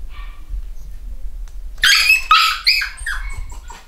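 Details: Eight-week-old black Cockapoo puppies from a home-bred UK litter: after quiet room noise, a burst of two or three shrill, high-pitched puppy barks and yaps lasts under a second, followed by softer squeaks.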